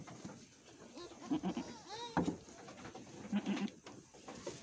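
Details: Etawah goat bleats in short, wavering, nasal cries, several in quick succession, recorded at a goat farm in Bukittinggi, West Sumatra, while a goat was giving birth.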